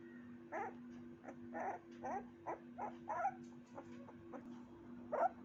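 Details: Puppy giving a series of short, high yelping barks, roughly one every half second, over a steady low electrical hum.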